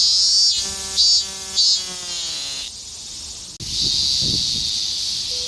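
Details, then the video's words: Higurashi cicada in Japanese summer gives three quick ringing pulsed bursts that slide slightly downward, then falls silent, leaving a high continuous hiss and a few low thumps. "ひぐらしの鳴く声 (セミ)"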